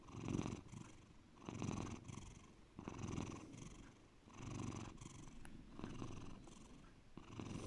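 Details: Pet cat Bear purring deep and low, its rumble pulsing in loud-soft cycles about every 1.4 seconds, each swell broad and buzzy, with a brief faint tick partway through.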